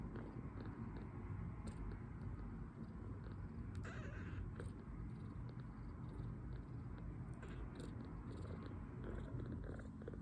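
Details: Two-week-old male foster kitten, milk-drunk after feeding and relaxing while recovering from poor health, purring in a steady, low, continuous rumble throughout, with a few faint soft clicks and rustles above it.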